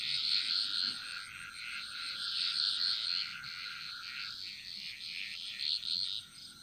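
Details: Dense night-style frog chorus from the Bali jungle: a continuous high, shimmering wash of many overlapping trills and chirps with no single caller standing out, fading slightly toward the end.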